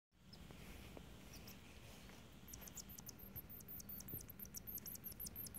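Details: Perry Mouse, a baby deer mouse, relaxes in a down blanket while being petted; thin, very high squeaks come in quick repeated runs through the second half, over soft low rustling.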